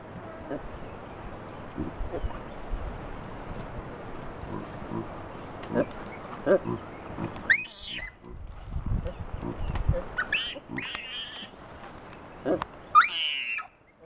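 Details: Alarm screams of several wild chacma baboons, Soutpansberg mountains, South Africa, directed at a rock python wrapped around a young baboon; low background rumble, then short harsh harmonic screams in scattered bursts over the last seven seconds.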